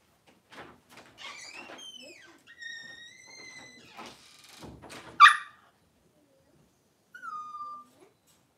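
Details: Cavalier King Charles Spaniel indoors while Daisy gives birth to six puppies in two hours: high, clear whining squeals with rising and falling bends, a steady held whine in the middle, a sharp knock, then one short falling whine.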